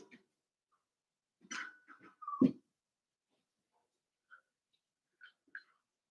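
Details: Cavalier King Charles Spaniel puppies, five weeks old, in their mother Daisy's indoor pen: a level whimpering whine drops into one loud, harsh yelp, then quiet, with a few soft squeaks afterward.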